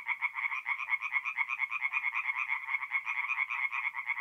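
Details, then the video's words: Tree frogs singing at night at a forest pond in mid-April in north-east Italy: a dense chorus of rapid, pulsed croaks, several per second, overlapping voices forming a steady rattling din. "relaxing forest pond by night with singing tree frogs"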